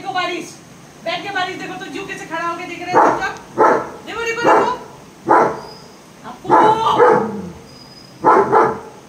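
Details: A German Shepherd lets out strong single barks at irregular gaps, some doubled, after a woman's voice speaking Hindi about watching the rain; her talk overlaps the first barks.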